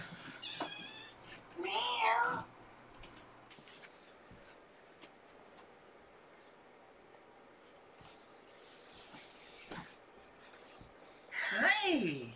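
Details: Domestic cats indoors during evening play, with a kitten exercising; two drawn-out, wavering meows, one early and one at the end, separated by a long quiet stretch with faint rustles and a woman's soft voice nearby.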